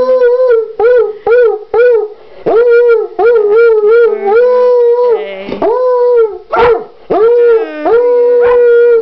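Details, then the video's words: Coonhound named Mullet singing Happy Birthday for his brother Grady's third birthday, a run of short yelping howls every half second, then longer wavering held howls with sudden upward swoops, while a lower flat tone sounds alongside at times. "Mullet sings Grady Happy Birthday."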